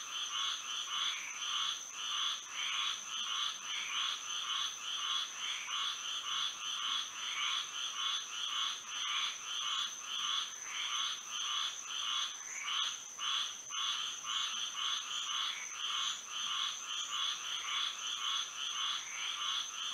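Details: Moonlit Florida night with many frogs singing together: rapid, rhythmic croaking bursts repeat steadily for twenty seconds, layered so the chorus rarely pauses, above an unbroken high insect drone.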